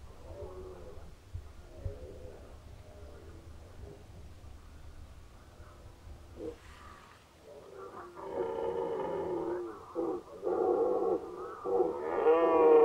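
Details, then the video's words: Red deer roaring in the 2019 rut, Unteres Odertal National Park: low, quiet grunting and rumbling gives way to a series of loud, coarse, drawn-out roars that build toward the end. "Hirschbrunft 2019 (red deer rut 2019)"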